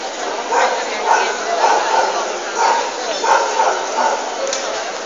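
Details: Leonberger at a dog show in Nitra, giving a run of short, mid-pitched barks spaced roughly half a second apart over a steady hubbub of crowd chatter and show-hall noise.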